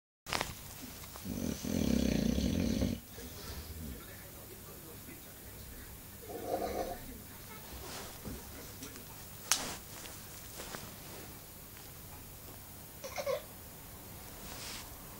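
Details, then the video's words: English bulldog snoring: a loud, rough, low rumbling snore lasting about two seconds near the start, a softer snort several seconds later, then quieter breathing with a few faint clicks and knocks. "Bulldog ingles roncando"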